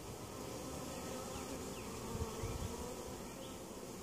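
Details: Honey bees at a hive in Mt. Perry, Ohio. The colony made it through winter very weak and was being treated for varroa mites. A steady, dense low buzz with a hum continues throughout without a break.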